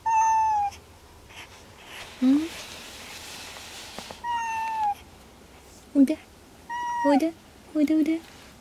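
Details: Kuri, an unwell indoor cat who would not leave the desk or eat, repeats long falling meows, alternating with brief low rising voice sounds and soft background noise, several sounds over about eight seconds.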